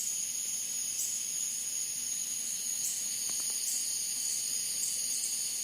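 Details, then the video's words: Cicadas singing at night outdoors: a continuous, shrill, high-pitched drone with a faint wavering shimmer, holding steady throughout with no breaks, over a soft low background hiss. "Cicadas at Night Sound Effect"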